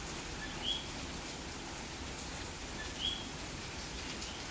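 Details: Coquí of Puerto Rico heard at night during May rain in Santurce, San Juan: two clear two-note calls, a soft lower note followed by a higher upswept chirp, spaced about two and a half seconds apart over constant rain hiss.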